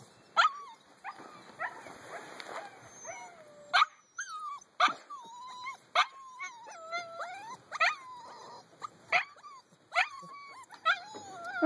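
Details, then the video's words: Several puppies at eight weeks old give thin, wavering whimpers and short high yelps, each cry bending up and down, repeated every second or so with brief pauses between bursts. "Mahi puppies... - 8 weeks old..."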